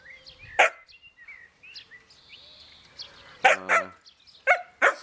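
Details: Jämthund named Ida, a young dog wanting to play, barking at an older dog holding the most important meat bone, testing rank in the hierarchy; a few sharp single barks and a whine, with bird chirps in the background.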